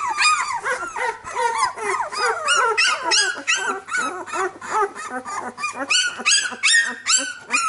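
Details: Labrador Retriever puppies, a litter squealing and yelping nonstop, overlapping bright wavering whines, some rising sharply, about two or three per second.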